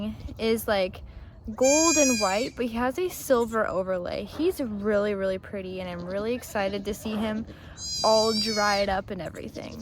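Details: Bleating heard during a first-time Nigerian Dwarf goat birth on a Northern California dairy farm, the doe Maggie bearing twins. Arched, wavering bleats with strong overtones repeat between bursts of human voices.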